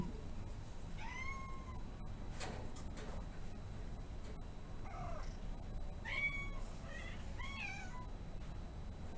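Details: Newly arrived male Domestic Shorthair cat at an adoption shelter, shy and a bit overwhelmed, meows repeatedly: a long arched meow early, then a cluster of short bent mews near the end, over constant low room hum.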